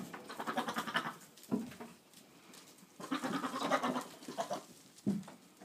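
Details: Boer buck talking to goats, 22 October 2013: several bursts of wavering, pulsed bleats about a second long, separated by short pauses, with lower grunting bleats in between.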